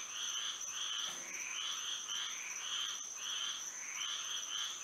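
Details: Night-time frog chorus in Florida by moonlight, many voices giving pulsed, rasping notes in irregular overlapping bursts, roughly a hundred a minute, with a constant high-pitched buzzing hum beneath.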